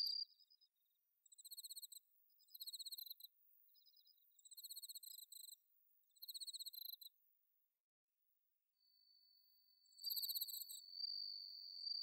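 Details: Autumn-night bell cricket song from paddy fields at Inba Marsh, Chiba, Japan: short high ringing trilled bursts repeated about every second and a half, a pause, then a longer sustained ringing note.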